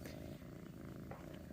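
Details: Kitten Saint, soon adopted with his sister Pom and to be renamed Bjorn, keeps up a low continuous rumbling purr, soft and even throughout.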